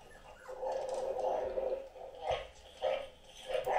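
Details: Anúbis, a Great Dane, gives a drawn-out howl that holds steady for over a second, followed by short yelping barks rising toward the end.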